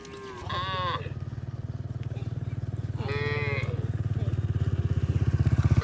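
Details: Herd of cattle roaming along a road: two drawn-out harmonic moos, the first longer, the second after a short pause, over a steady, pulsing low engine rumble from a passing vehicle.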